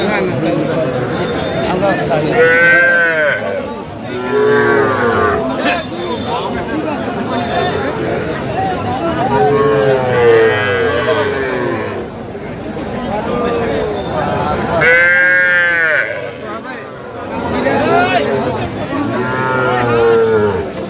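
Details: Cattle at a busy market in Faridpur selling small bulls and heifer calves; several arching, harmonic-rich moos rise and fall across twenty seconds, roughly every few seconds, over constant bargaining voices and crowd chatter.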